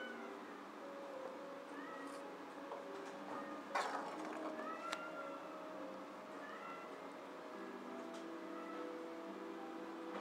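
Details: White kitten siblings at a Tokyo rescue shelter for cats, giving thin, repeated rising-and-falling mews scattered through the clip over a steady low hum, with a brief clatter midway.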